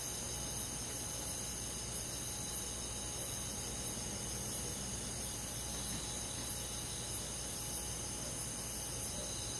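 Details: Summer-night insect chorus of crickets among forest bugs: dense high-pitched trilling that pulses gently and never stops, layered above a low steady rumble.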